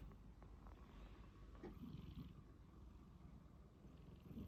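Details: A cat snoring in its sleep, a low, grainy, fluttering rumble held throughout with slight rises in loudness near the middle and end.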